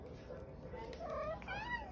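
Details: Pet cat known as the OK Cat, famous for a meow that sounds like "okay": a short harmonic call rising then falling toward the end, over a low indoor room hum, with a person talking to her nearby.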